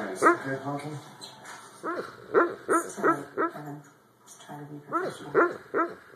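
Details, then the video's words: Pet dog barking in her sleep while lying passed out on a couch indoors: soft, muffled woofs and whimpering yips in irregular bursts, with quiet human voices in the background. "Dog sleep barking"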